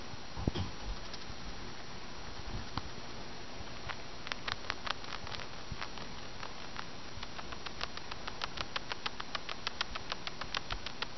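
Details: Pet fancy rat Rosi, 13 weeks old, grinding her teeth after eating a big meal; a few scattered ticks give way to a quickening run of crisp clicks during the second half, against low room noise.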